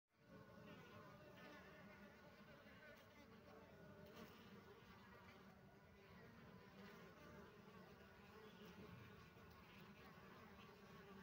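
Honey bees give off a steady, low droning buzz that hums on without a break.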